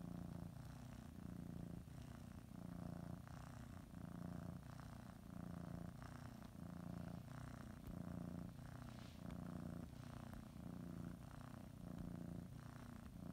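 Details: Pet cat kneading and biting a blanket before her morning nap, purring continuously; a deep, even rumble that swells and eases in regular breath cycles roughly every one and a half seconds, recorded indoors.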